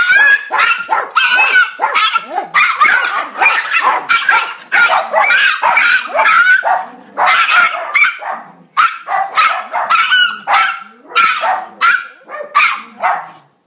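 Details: A Miniature Pinscher on neighbourhood watch, barking nonstop: a rapid, shrill run of yappy barks and yelps, many per second, loud and harsh throughout, with no other sounds.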